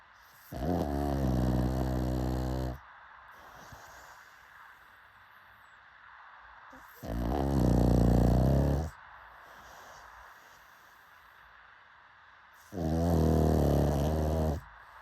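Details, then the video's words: .Pug asleep and snoring in three long, deep, rattling inhalations of about two seconds each, spaced roughly five seconds apart, with soft breathy exhales between them. "Why Is Pug Snoring So Satisfying to Humans?"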